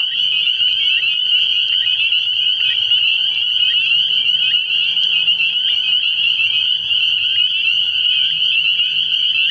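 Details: Spring peepers calling from a frog pond at night early in the year, a dense, unbroken chorus of high, shrill peeps merging into a steady ringing band, with faint low droning notes beneath.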